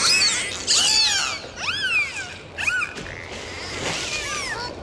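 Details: Dolphins heard underwater on a dive, giving several clear arched whistles, each rising then falling in under a second, with a few fainter sweeping whistles between them and a constant watery hiss behind.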